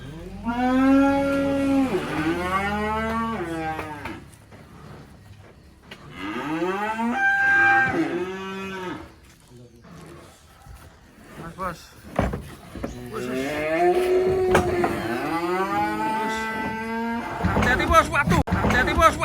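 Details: Black sacrificial cattle unloading from a truck at a rural pen: three loud drawn-out moos, each rising then sliding down, separated by pauses, with clattering and a few shouted warnings between calls.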